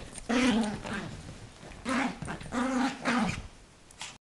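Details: Female Yorkshire terrier, eight months old and very small, growls fiercely over her toy to keep her owner from taking it; three rumbling, drawn-out growls, each about a second long, indoors.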